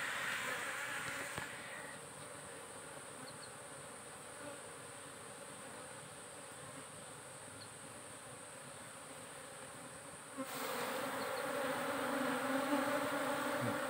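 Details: Honey bees kept in a modern beekeeping operation, buzzing as a steady, dense hum with low tonal bands. The hum is loud at first, drops quieter for most of the middle, then swells again near the end.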